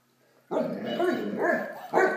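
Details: Blacky, a Great Dane puppy, playing with a toy dog, gives a drawn-out, rough bark-growl that runs for over a second, then a short second bark at the end.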